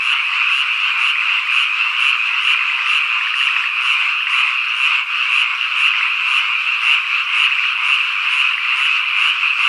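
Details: Constant high-pitched cicada buzzing on a summer evening at Ikusaka, Nagano Prefecture, Japan, overlaid by a regular high chirp about twice per second and occasional soft frog rattles.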